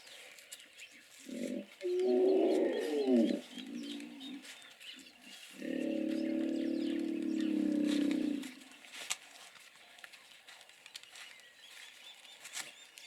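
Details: Hippos calling outdoors: a series of deep grunting pulses builds into a hoarse roaring burst, followed after a pause by a longer, steady, rumbling bellow lasting about three seconds, with faint background noise.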